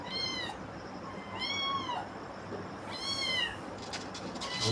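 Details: Kittens at home meowing: three high, drawn-out mews with bright harmonics, each about half a second long and arching slightly down in pitch, spaced roughly every 1.5 seconds, with faint background music.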